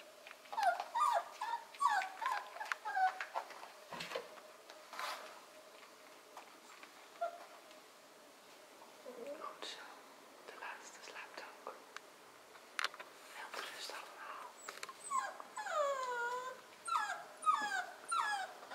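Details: Korthals Griffon with a litter on day 40, indoors in a small room; repeated high, rising-and-falling whines and yelps from the pups come in bursts, with a woman's soft speech and rustling in between.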